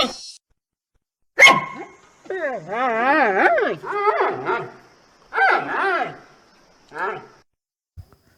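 A giant panda gives wavering, nasal bleats and squeals in short bursts.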